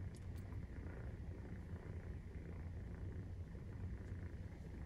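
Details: Maine Coon cat purring while nursing at 43 days after birth; a steady low rumbling purr throbs continuously throughout, with a few faint higher clicks and rustles near the start.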